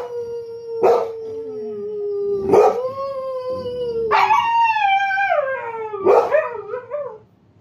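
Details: Husky howling: long tonal howls that hold steady then slide downward, broken by sharp yelping bursts near one, two and a half, and six seconds, ending in a wavering howl; music and laughter in the background.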